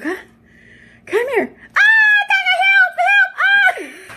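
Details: Alaskan Malamute Tonka, inside the house, lets out a brief rising-falling whine, then a loud sustained run of harmonic woo-woo talking with several dips and swells.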